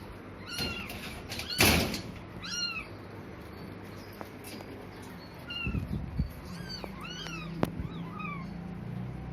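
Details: Repeated high-pitched meows from a tiny newborn kitten, one of four abandoned on a cloth in a graveyard at dusk, short arched cries coming in bursts between thumps and handling noises.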